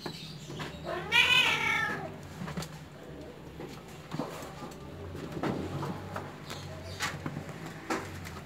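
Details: A home-raised Persian kitten, one of a cute, spoiled litter, lets out a single loud, wavering meow near the start. Soft rustles, clicks and low room hum fill the rest.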